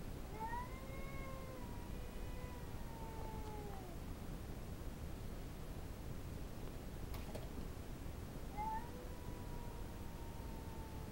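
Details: Female domestic cat reacting to another cat in the backyard with drawn-out moaning yowls that slide downward, a long pause, then a further rising-falling howl over steady low background hum.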